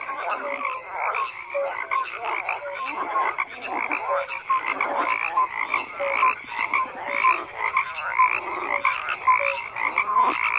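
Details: Many frogs croaking together in a thick unbroken chorus; rapid rattling croaks overlap constantly, with brief whistle-like notes poking through and rhythmic swells in loudness.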